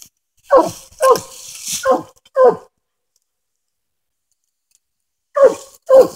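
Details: Coonhound in Tennessee coon hunting, barking while treed on a den: four quick rough barks, a silent gap of about three seconds, then two more hoarse barks.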